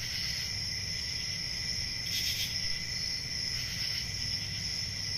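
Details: A nighttime summer chorus of crickets in a forest: unbroken, piercing high trills layered over a lower steady buzz, brief brighter swells around two and four seconds, and a faint low background hum.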